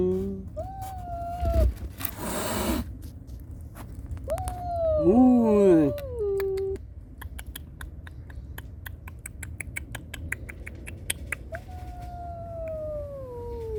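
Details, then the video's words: Kittens crying plaintively for their mother, while a mother cat warns an unwelcome visitor to protect them. Thin, sustained, wavering cries, a cluster of sliding overlapping calls midway, a burst of rustling early on and rapid clicking throughout. "고양이 울음소리 여러가지 어미고양이가 새끼 보호를 위해 불청객에게 화난소리와 새끼고양이가 엄마 찾는 애절한 울음 소리"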